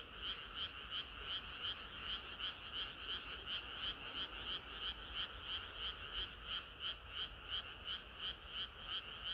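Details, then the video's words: Frogs singing in chorus on a hot summer night; dense overlapping croaks pulse about three times a second, bright and steady, with a higher note layered over a lower band, continuous throughout. "개구리들의 합창은 끝이 없어라"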